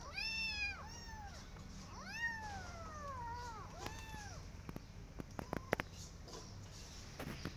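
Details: Persian cat with her adopted kittens walking in a garden and watching rabbits: a run of clear arched meows, rising then falling, several in quick succession, followed by scattered sharp clicks and taps.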